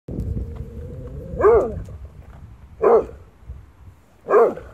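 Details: German Shorthaired Pointer named Aifā, a pet dog reacting to its own shadow, gives three loud, arching barks about a second and a half apart, the first preceded by a steady whining tone; indoor quiet otherwise.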